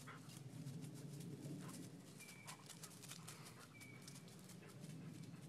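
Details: Bart, a three-legged Vizsla, hunting for shed deer antlers outdoors; quick rhythmic panting at about three to four breaths per second over a steady low rumble, with two brief thin whistled tones in the background.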